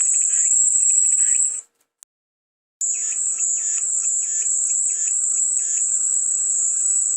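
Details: Cicada chorus for calming white noise: a steady, shrill high-pitched buzz runs almost throughout, broken by a brief silent gap after the first second and a half, with softer rhythmic pulsing chirps and a faint low steady hum beneath.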